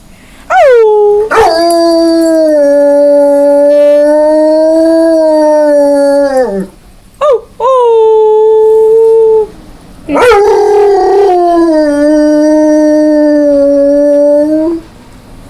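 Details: Pet dog howling when prompted by its owner: long sustained tonal howls, level then sliding down at the end, a brief yip between, then another long wavering howl; a person's voice faintly present.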